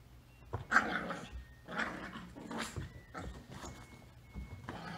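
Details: Rat Terrier puppies Bella, 12 weeks old, and Macchi, 8 weeks old, tussle during their first days together, giving rough, throaty growls in several short bursts about a second apart, over a faint low background hum.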